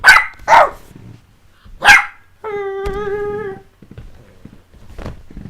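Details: Three sharp barks from the playing puppies Jessie and S'mores, followed by a steady, drawn-out tonal sound lasting about a second, then quiet scuffling indoors.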